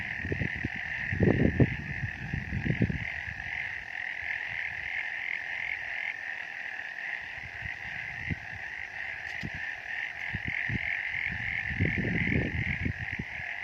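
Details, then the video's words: Frogs calling on a misty mountain: a dense, steady chorus of fast pulsing trills runs throughout, with low rumbling thumps at the start and again near the end. "Frog sounds on a misty mountain"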